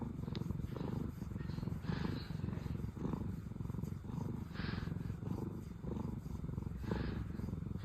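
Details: Contented purring from the sister cats Pina and Piko, once rescued: continuous low rumbling vibration with rhythmic breath pulses roughly once a second, and faint airy hiss on some breaths.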